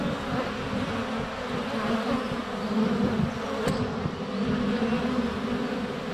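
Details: Honey bee hive entrance on a sunny February day, GoPro Hero 7 Black held close among flying bees: steady layered buzzing with swelling passes of nearby insects and one sharp tick around the middle.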